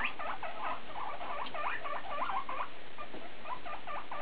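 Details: Domestic guinea pigs, one doing most of the vocalizing, in a back-and-forth exchange: rapid series of short chirping, chattering notes in quick bursts with brief pauses throughout.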